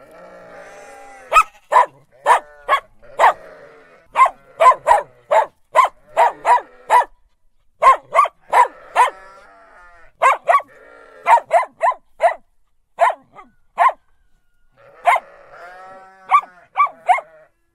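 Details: Dog barking in rapid runs of short, sharp barks, often in quick pairs or threes with brief pauses between bouts, while sheep bleat softly in the background.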